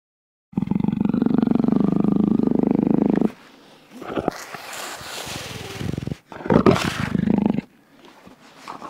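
A jaguar gives a deep, rasping roar lasting nearly three seconds, followed by breathy grunts and a second gruff burst.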